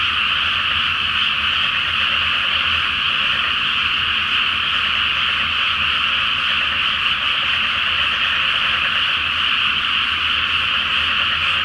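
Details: Dense night chorus of many frogs in a flooded rice field before planting, under a full moon in the flower-moon season; continuous overlapping croaking forms a steady buzzing wall of sound without pauses.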